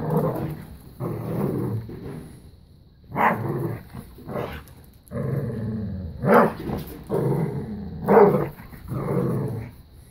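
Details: Bella, a five-year-old black lab pitbull, and a newly arrived puppy play tug of war and keep away, giving rough low growls in repeated bursts about a second long, with a few sharper louder yelps among them.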